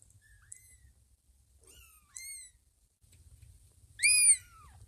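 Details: Two-week-old kitten, one of two newborns with freshly opened eyes, nuzzling Ginger, a cat it mistakes for its mother Lima: thin high mews, a few faint ones early on, then one loud, bright, falling cry near the end, indoors.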